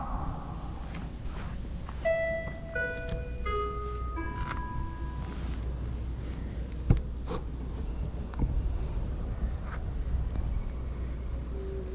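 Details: Stepped melody notes over a steady low rumble, with a few thumps and footsteps, and no animal sound.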